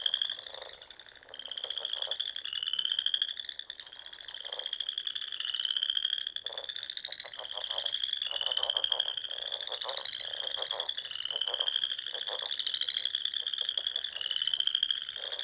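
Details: Frogs in the Nebraska Sandhills call together at dusk in spring by small lakes and ponds: a dense chorus of high, rapid trills rising slightly and overlapping almost without pause, with short clicking pulses beneath.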